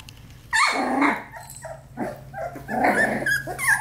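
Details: Four-week-old Australian Labradoodle puppies at play, giving short high squeaky barks and yips with a brief growly whimper, loud from half a second on, over a steady low hum.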